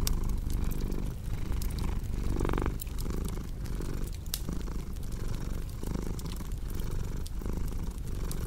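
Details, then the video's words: Cat purring in a low, droning rumble with regular breath pulses, mixed with fireplace crackling and a brief louder rustling burst partway through. "Purring Cat with Cozy Crackling Fireplace Sound"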